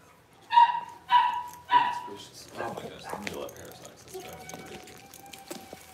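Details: Six-week-old Cavalier King Charles Spaniel puppies being dewormed and having toenails trimmed: three short, steady, mid-pitched yelps about half a second apart, followed by people talking and handling noises.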